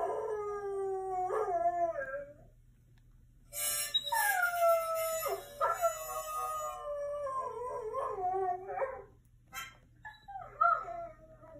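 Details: Recorded dogs on a laptop, heard by a curious mini goldendoodle: long wavering howls with bright overtones, falling then rising, a dense chorus from about three and a half to nine seconds, then scattered yips over a faint hum.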